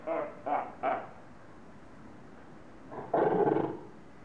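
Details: Quarrelling seals in Zoo Augsburg, Germany, yelling at one another: three quick harsh barks in a row, a silent pause, then one long loud grating roar.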